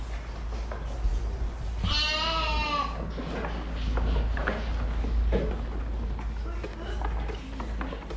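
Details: A fluffy domestic sheep lets out a single quavering bleat of about a second, followed by low rumbling background noise with scattered knocks and rustles.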